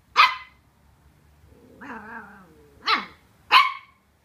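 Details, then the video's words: Colin, a Welsh Terrier pup wary of packaging, lets out one sharp bark, then a long wavering whine-growl, followed by two more barks close together. "Welsh Terrier Vs. Cardboard Box"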